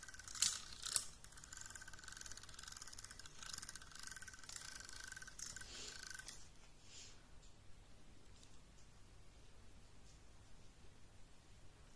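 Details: Faint snipping and rattling in a small room fade into a quiet, steady hiss.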